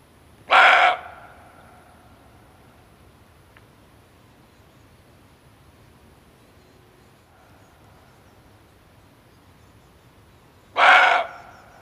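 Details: Barking deer male, sound meant for luring while hunting: two abrupt, coarse barks roughly ten seconds apart, each under half a second long, separated by quiet background.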